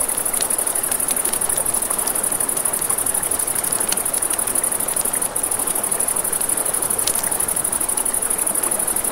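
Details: High, rapid, ceaseless cricket chirping at a riverside at night, accompanied by frequent crackling and snapping of a campfire and the steady noise of flowing water.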